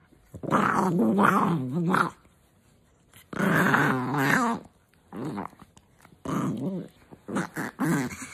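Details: Pet dog woken in the morning with kisses, grouchy at being bothered while still sleeping, with long wavering grumbling growls and moans in two drawn-out bursts, then shorter broken grumbles, indoors.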